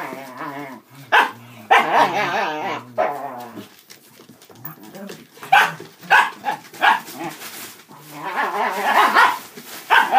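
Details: Five dachshunds, three adults and two puppies, in rough play around a cardboard box and cat tunnel; wavering growls open the clip, then short sharp barks come in quick, uneven bursts alongside scuffling.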